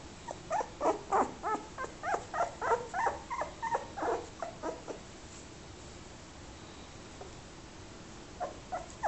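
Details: Young fox terrier puppy giving a rapid run of high, tonal whimpering yelps, about three per second for five seconds, then a pause and a few more short yelps at the end, over a quiet indoor hiss.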